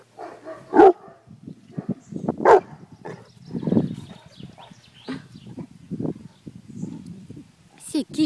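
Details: Pet guard dog letting out two loud, abrupt barks early on, with people talking steadily underneath and a final sharp bark at the very end.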